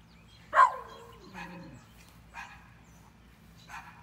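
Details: Yorkshire Terrier eating Calibrachoa flowers outdoors, 14 May 2018: one sharp bark followed by a falling whine-like tail, then a few softer short yips spaced about a second apart over low background hum.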